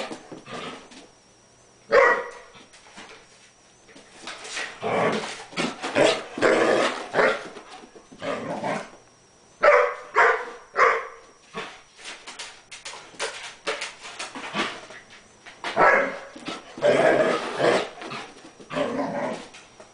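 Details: A collie playing with a bone gives clustered bursts of rough growling and short barks, coming in loud flurries with brief pauses throughout, plus a faint steady high tone in the background.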